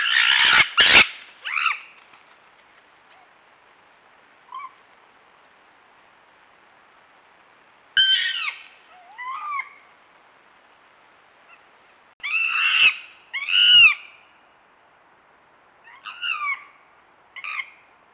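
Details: Red fox uttering loud, harsh, harmonic barks and short wavering cries in separate bursts, several seconds apart, with near silence between them.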